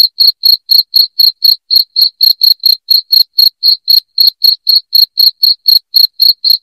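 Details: Sharp high cricket chirps, used to drive off rats indoors, pulse rapidly and evenly at about four per second throughout, with nothing else audible.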